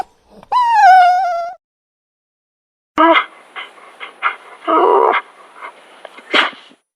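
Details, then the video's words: Dog gives a bending, high whimper, then after a pause a cluster of short, rough yips and whines with a breathy, scratchy texture, ending on one sharp squeal. "Кучето хленчи"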